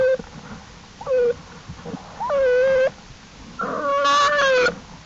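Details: Cubs of the black bear Jewel exploring beside their mother outside the den, April 2, 2012: brief yelps building to two longer drawn-out wails, the last harsher and strongly harmonic.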